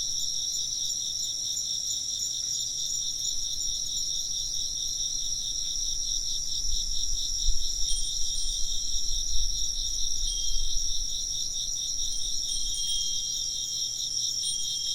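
Insects chirp in a steady, shimmering chorus of high, pulsing trills, with the faint ring of wind chimes.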